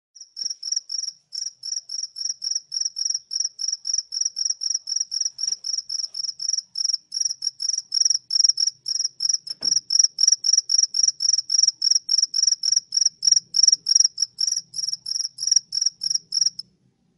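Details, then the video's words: A cricket indoors in a room chirps steadily, a high, bright pulse repeated about three times a second. "A cricket in my room. This sound makes me sleepy"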